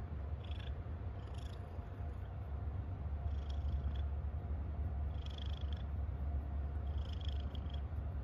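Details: Purring from a happy house cat: an unbroken low vibrating rumble with quick regular pulses, plus brief faint airy higher sounds recurring every second or two.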